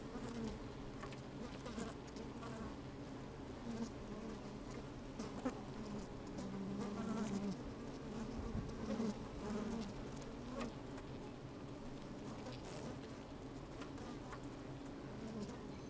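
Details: Continuous low hum of honey bees at work within an open hive, sunny day with some wind, microphone placed down in the hive; occasional short buzzes rise above the drone, plus light rustling and ticking.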